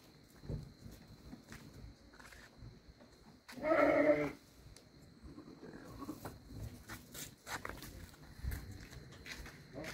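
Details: Garut sheep named Si Comot gives a single loud, harsh bleat of about a second, strongly harmonic and wavering, rising out of quiet rustling background with faint distant voices.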